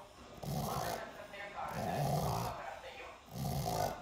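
A sleeping pug snores in slow, rough, rumbling breaths, each lasting about half a second to a second.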